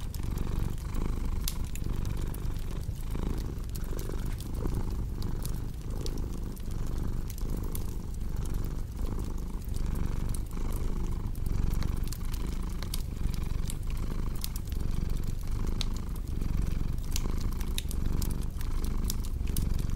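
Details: Domestic cat purring steadily, a low rumbling drone pulsing in even breath cycles of roughly half a second, with sharp pops and snaps of a crackling fireplace scattered throughout.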